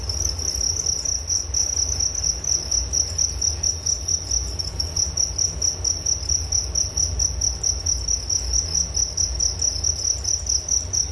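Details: Rhythmic cricket chirping, high and piercing, pulsing roughly twice per second in a steady loop, with a low background rumble underneath.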